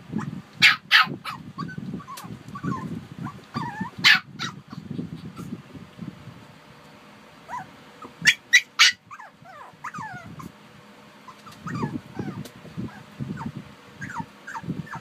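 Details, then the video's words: Harper and Wuhan, Shih Tzus, let out scattered high-pitched barks, then thin whining, rising squeaks between them, all above a continuous low rumble. "Shih Tzu Barking"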